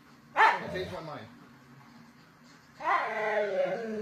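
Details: Siberian Husky talking in a small room: a sudden harmonic yowl that climbs and falls over about a second, a quiet gap, then a longer rising, wavering howl-like moan with rich overtones.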